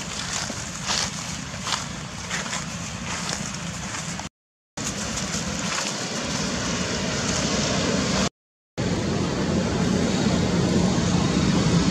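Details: Broad rushing, sloshing noise like water or wind, broken by two short silent gaps; no animal calls.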